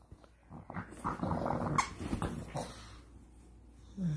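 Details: Pug puppies at play indoors, giving low, rough growls in short irregular bursts with scuffling noise and a brief squeak near the end.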